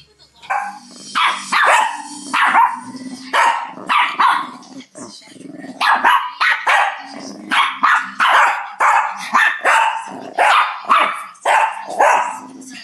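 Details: A Shih Tzu, one of three usually mellow dogs (two aged 1, one 9 weeks, in 2011), barks sharply and insistently in quick runs of high yaps, bossing the others. This is not its usual behaviour.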